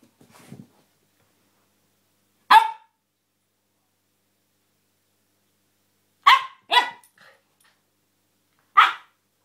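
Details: Siberian Husky pup named Angel playing wildly indoors, giving sharp single barks spaced seconds apart, then a quick pair of yaps and one more bark, with near silence between.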